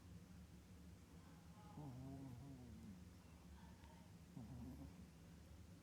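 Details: A sleeping Chihuahua snores with two low, wavering, nasal tones, one lasting about a second and one shorter, over a steady low hum.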